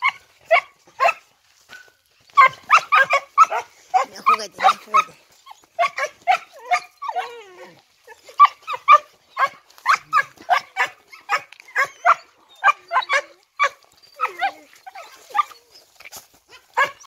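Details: Male Shih Tzu named Travis de Gallumar, American line, born 29 April 2019, giving sharp high-pitched yapping barks in quick runs of several, dozens over the stretch with brief pauses between bursts.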